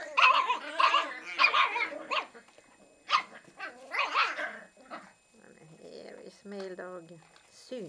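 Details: A female Miniature Pinscher puppy trying to take a nap gives high, squeaky yips and whines in short bursts, with a person talking nearby.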